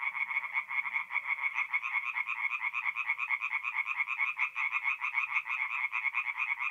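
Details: Night chorus of many tree frogs at a forest pond, north-east Italy, mid-April: continuous fast rattling croaks layered over one another in a steady pulsing wall of sound, with a faint low hum briefly at the start.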